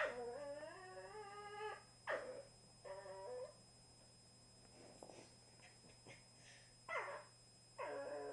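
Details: A 2-year-old black and tan male and a 1-year-old tricolour female Cavalier King Charles Spaniel playing gently together: clear, high, tonal whimpers and yips, some held over a second, some short, separated by quiet gaps with faint rustling.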